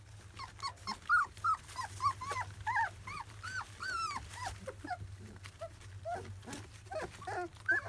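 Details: Several 25-day-old field-line Labrador Retriever puppies given first weaning food, overlapping high whimpers and squeaky whines in uneven bursts, some curling up, others dropping, with faint low rumbling beneath.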